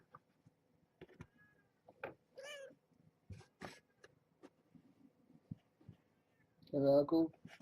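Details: Young kittens indoors in a box with their mother at bedtime feeding; two thin, high, wavering mews arrive a second apart amid soft rustles and clicks, then a human voice speaks briefly at the end.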